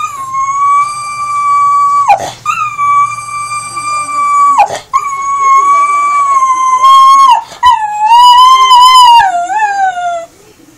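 A Cocker Spaniel howls in long, sustained tones, broken by brief pauses for breath.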